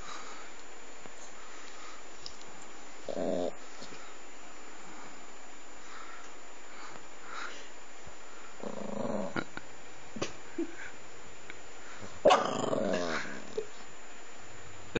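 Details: Small puppy grumbling in protest at being touched as it drifts off to sleep on a lap; three short, low growly grumbles spread across the stretch, the last slightly louder, against quiet indoor background hiss.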